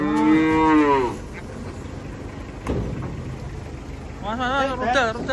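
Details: Cattle coming down off a truck: a full moo opens, then quiet handling noise and a knock, and a wavering, quavering bawl near the end.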